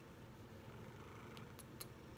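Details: Low continuous rumbling purr from Proton, a big male Maine Coon kneading and cuddling on a person's chest in a small room; brief soft clicks near the end.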